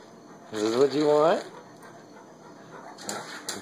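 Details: Basset Hound, a male dog, asking for food indoors after being asked whether food is what he wants; a single rising, nasal whine of under a second, followed by quiet floor scratching sounds.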